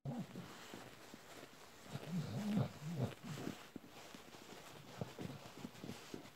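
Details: Adult Bull Terrier suckling a panda soft toy: a short, low moan at the start, steady soft sucking noises, and a louder run of wavering, throaty grunts around the middle, then quieter smacking.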